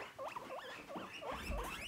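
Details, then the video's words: Pet guinea pigs kept indoors in a cage, wheeking: a run of five or six short, rising-then-falling squeaky whistles in quick succession, with faint rustling underneath. "A Wheeking Wild Guinea Pig VLOG"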